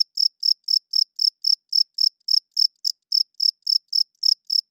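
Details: Cricket chirping loudly at night: clean, high-pitched pulsed chirps repeated evenly about four times a second, each a short bright burst, with no other sounds behind them.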